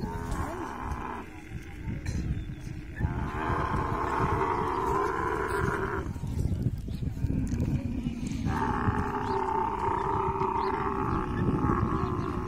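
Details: Deep, bubbling, pulsed roars from a mating camel come in several long bursts, separated by short quieter gaps, over a dense low rumble.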